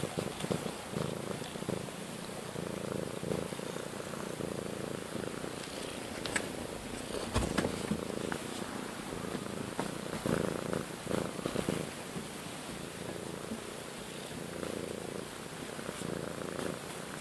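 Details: Indoor house cat, one of a pair of sisters, one outgoing and one timid, confined to a front bedroom; a close, steady purr throbs throughout, broken by a few soft clicks and rustles.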